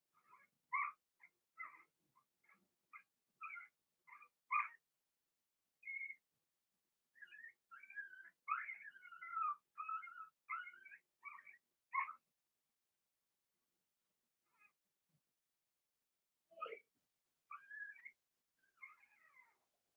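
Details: Six Blenheim Cavalier King Charles Spaniel puppies, two females and four males from Remy's first litter, in a home puppy pen; rapid high-pitched squeaks and whines pour out in clusters, pause around fifteen seconds, then resume more sparsely.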